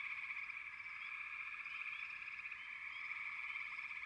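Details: Frogs call in a dense, continuous chorus of rattling trills, with a few quick upward chirps sounding above the steady drone.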